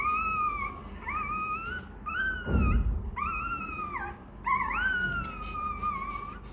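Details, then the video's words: A hungry Rottweiler pup begs for milk with a run of five plaintive whines, each held about a second, level or gently falling at the end. A dull thump sounds between the second and third cries. "Chó Kêu Đòi Sữa: Nghe Sao Thảm Thiết! Hungry! Where s Milk?"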